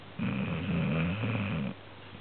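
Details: Pet dog snoring while asleep indoors, the owner noting its snores are very loud; one rough, rumbling low snore lasting about a second and a half, steady and buzzy, in a quiet room.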